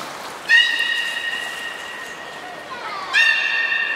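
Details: Two sustained, bright, buzzy-edged tones from captive belugas (Hodoi, Gray and Mirai) training at the Port of Nagoya Public Aquarium on 1 December 2019. Each begins abruptly and holds level, with a soft lower slide between them.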